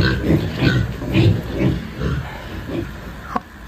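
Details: Tibetan pigs, three young animals raised on a rural farm for nearly half a year, provoked while being handled for weighing: low, rough grunts in a steady series about twice a second, fading toward the end, with a sharp knock near the close.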